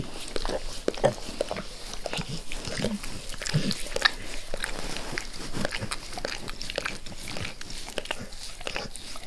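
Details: Max the dog eagerly licks his owner's face, a dense, irregular run of wet smacking and slurping clicks with short broadband snaps, keeping an even loudness across nine seconds, with no talking.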